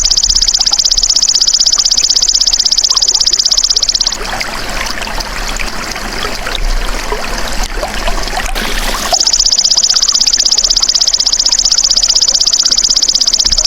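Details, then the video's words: The golden grasshopper (belalang emas), recorded as tutor audio for songbirds, buzzes in a sharp, rapidly pulsed trill for four seconds. Then comes a break of broad rustling, watery-sounding noise, and the steady trill resumes for the last few seconds. "MASTERAN BELALANG EMAS TERBAIK 2026 | SUARA ASLI"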